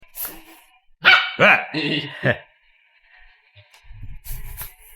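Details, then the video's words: Pet dogs Simba and Bruno, a Labrador and a German Shepherd puppy, reacting to an air pump: four short, harmonic barks in quick succession near the start, then quieter rustling and a person's voice with laughter. "Simba and Bruno reaction for air pump"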